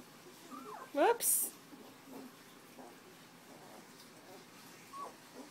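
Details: Puppies from Tucker and Libby's litter, nearly two weeks old, eyes opening and just starting to walk, recorded indoors on January 27, 2012: a pair of sharp rising squeals near the one-second mark, then a faint thin whine later in a quiet room.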